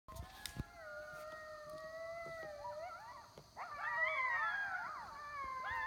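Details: Several coyotes howl together in a group, long wavering notes sliding up and down and overlapping in a chorus.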